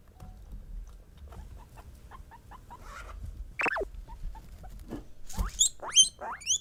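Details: Female pet guinea pigs (Peruvian, English and Teddy) calling to let people know they sense something: soft chirps build into loud shrill wheeks, whistles that sweep steeply upward and repeat in a quick series.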